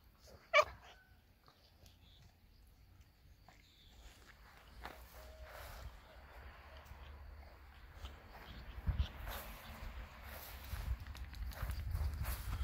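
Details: German Boxer dog gives a single loud, sharp bark near the start, then falls silent while low rumbling background noise and faint scattered sounds build steadily toward the end.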